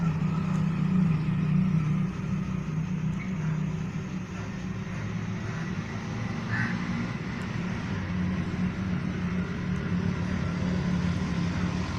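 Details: Steady low rumble of passing road traffic, with no animal calls standing out.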